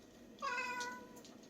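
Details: Bomi, a cat known for her pretty voice, living at a private shelter for about forty rescued cats and dogs in a quiet rural island village, gives one clear, drawn-out meow with a bright, steady tone that fades gently at the end.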